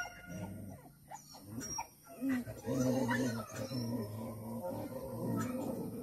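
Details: Dogs fighting on a farm: strained whining and short yelping cries rise and fall over a constant noisy background, with a human voice mixed in.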